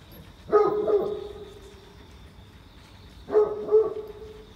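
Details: Out on a wet morning walk at Oyama Yuen Harvest Walk, a large Great Pyrenees dog barks twice. Each is a paired, hollow woof that ends in a held tonal note, about three seconds apart, with light background hiss.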